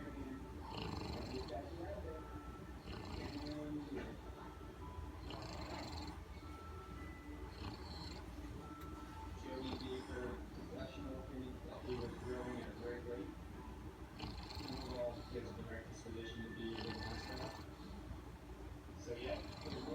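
An English bulldog snores loudly with rough, rumbling breaths that rise and fall in a steady rhythm.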